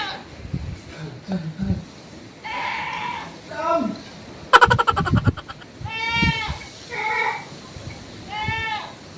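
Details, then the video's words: Goat bleats, several short wavering calls in the second half, preceded by human speech and a burst of rattling clatter. "Sayang ang kambing"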